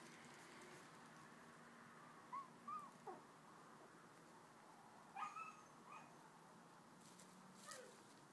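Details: Puppies at four weeks old, out wandering in a doubled living area, give short high tonal whines that bend up and then down, in two small clusters a few seconds apart with a faint last one, over a soft hiss.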